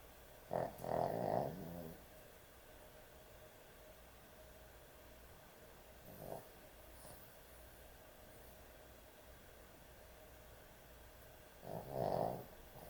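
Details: Sleeping puppy at bedtime snoring in sparse bursts: a rough double snore, a faint breath about five seconds later, then another throaty snore near the end, with long quiet gaps between.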